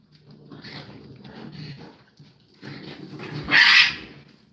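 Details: Raccoons squabbling on a live stream during mating season, described as rough: low growling and chattering snarls building to a sharp, harsh screech near the end.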